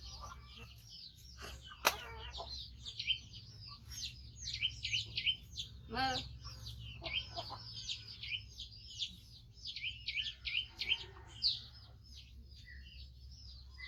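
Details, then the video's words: Young rescued monkey, five months old and missing a foot, cries loudly as it waits for feeding: fast strings of high, thin squealing notes rising and falling, broken by short human speech and a few sharp knocks. "Cutie Monkey Koko Make Sound So Loudly During Waiting Mom For Eating"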